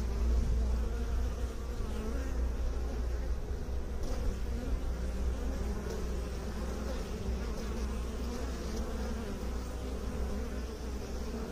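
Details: Continuous low droning of honey bees kept by beekeepers, a dense even hum holding steady for the whole stretch with faint higher whining tones above.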